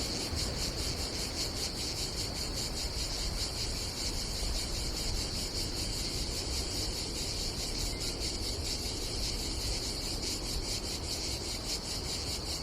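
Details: Cicadas on a summer day at a campsite above the Adriatic Sea in Croatia: a steady, rapidly pulsing high buzz runs without a break through the whole stretch, over a low rumble of wind and sea.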